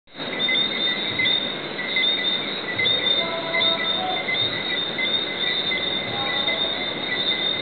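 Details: A dense night chorus of Lesser Antillean whistling frogs at the Divi Southwinds, with many high, sharp whistles overlapping into a continuous ringing shimmer.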